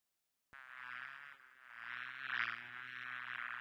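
A bee's steady, low droning buzz that swells and fades slightly as it moves.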